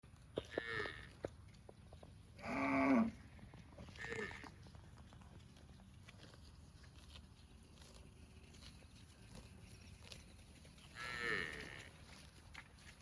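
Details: Cows eating grass in a park, several short harmonic moos spread across the recording, loudest one near the start and another later, with quiet background between calls.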